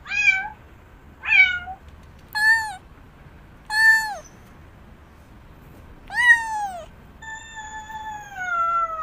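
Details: Domestic cat meowing, six separate harmonic meows spaced about one to two seconds apart, several rising then falling, the last one long and slowly descending; quiet room with faint low background hum.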